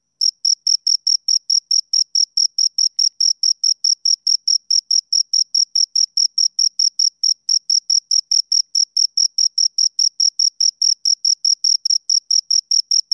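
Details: Two crickets right up close keep up a very regular, unbroken stream of piercing high chirps, evenly spaced at a little over two per second, in otherwise quiet surroundings.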